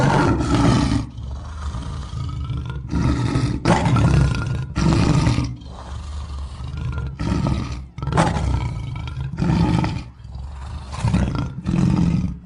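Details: African lion roaring: a series of loud, rough, deep bursts, each about a second long, repeated with short gaps through the recording, with strong low rumbling energy under a harsh, noisy top.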